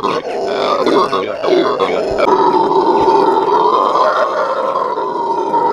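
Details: At a zoo in the morning, Venezuelan red howlers roar together in a continuous, hoarse, droning howl, uneven at first and then settling into a steady loud chorus.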